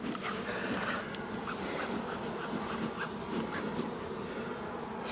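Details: Agitated honey bees swarming around a beekeeper removing a long-time colony from a house wall on the first cutout day; constant humming drone with repeated short ticks and taps, like bees striking the suit or veil.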